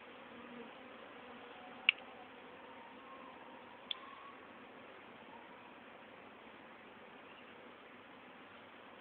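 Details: Honey bees from a swarm caught in late April 2011 and housed in a small-entranced poly nuc; even, low buzzing hum throughout, with two sharp ticks.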